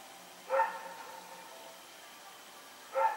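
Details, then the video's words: Rex the dog, running around in the night on September 21, 2018, gives two sharp barks about two and a half seconds apart amid faint background hum. "Pyrga Barking Nightmare"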